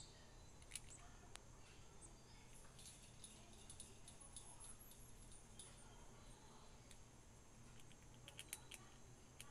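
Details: A squirrel munching on a quiet morning: sharp, irregular crunchy clicks scattered through the clip, a few louder snaps, over a steady low hum, with faint high bird chirps in the background.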